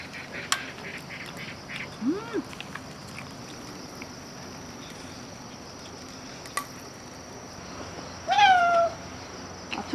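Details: An island cat comes to a solo hilltop campsite on Gwanri-do, Gunsan, in the morning, drawn by the sound of sausages grilling. A faint arched call near the start, then one clear drawn-out falling meow near the end, over a quiet background with a few clicks.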